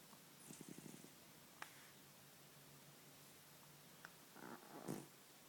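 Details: Sleeping ten-year-old pet cat giving soft, raspy snores: a short pulsed breath near the start, then a louder, rougher snore near the end, with near silence between them.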